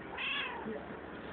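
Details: A pet cat talks to its owner with one drawn-out meow of about half a second. The tone is bright and harmonic, rising slightly and then falling away. A soft room hum sits underneath.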